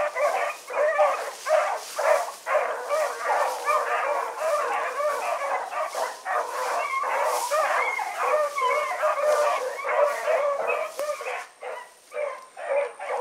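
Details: A pack of four hounds on an evening run on 16 August 2014: many overlapping, rapid baying and yelping voices in a dense, continuous chorus, pulsing several times per second.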